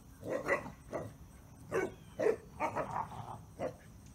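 A Basset Hound gives short, deep, gruff barks and yelps in quick irregular bursts.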